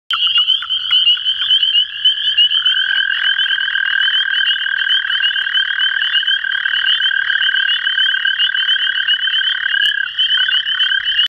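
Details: Male toad in water during the mating season, in a frenzy and clasping fingers, giving a continuous, steady, high musical trill that holds one pitch with a brief drop partway through, without pause.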